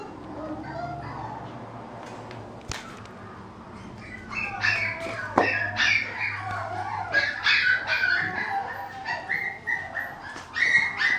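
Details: Male mixed-breed puppy giving high, squeaky whines and whimpers, quiet at first, then a burst of rapid, wavering harmonic cries in the second half. A low steady hum runs underneath.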